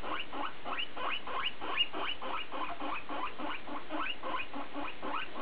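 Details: BooBoo, a guinea pig in conversation, gives a regular run of brief rising chirps with harmonics, close together and fairly even in loudness, one faint tick near the middle.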